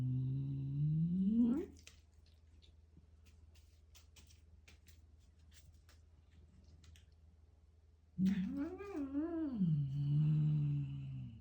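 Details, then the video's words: Domestic cat eating a grasshopper makes funny noises: a rising, moaning call for about a second and a half, then soft clicking chewing sounds in near quiet, then a long wavering, warbling moan lasting about three seconds over a low steady hum. "Cat eats grasshopper and makes funny noises"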